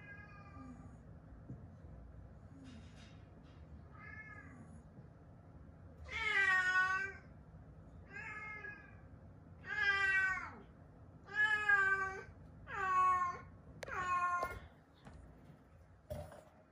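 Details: Weak rescued kittens, found huddled together and fading, meow: after faint early cries, a run of about seven loud, drawn-out, harmonic meows comes roughly once a second, each rising then falling, in a quiet indoor space.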